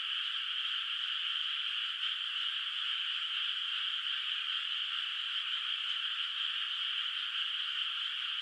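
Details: Frog voices ring across a moonlit rice field at night, the water still bare of rice. A constant massed chorus holds at one level throughout, like a seamless high buzzing wash, with no other sounds.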